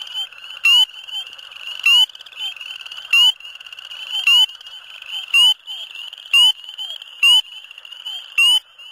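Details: In a flooded farm field in February, with temperatures in the low 40s °F, a spring peeper gives loud, clear peeps, each a short rising whistle, about once a second.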